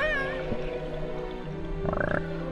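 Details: A juvenile killer whale off Pico Island, North Atlantic, curious about nearby divers, communicates almost continuously with its pod in wavering whistles and a brief pulsed call, with music underneath.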